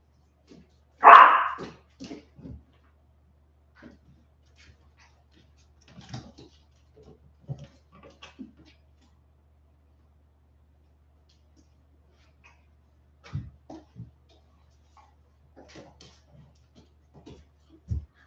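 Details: Forty-seven-day-old West Highland White Terrier puppies, back after an outdoor break: one sharp, loud yip near the start, then scattered faint whimpers, soft shuffling and light thumps over a quiet background.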